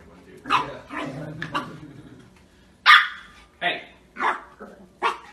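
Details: Shiba Inu from a funny pet compilation giving a run of short, sharp barks and yaps, about seven bursts in five seconds, loudest near the middle, with some human voices mixed in.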